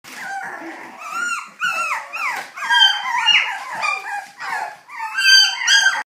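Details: Dog whining indoors with continuous high, whistled whimpers that slide up and down, overlapping in quick, irregular bursts for the whole stretch.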